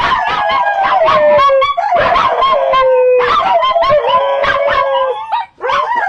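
Dogs howl in long, wavering tones that slide downward, broken by short yips and whines.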